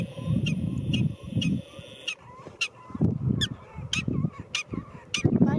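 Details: A black-tailed prairie dog at Caprock Canyons State Park, Texas, gives sharp, repeated chirping barks about twice a second on 7 January 2023, with a person talking.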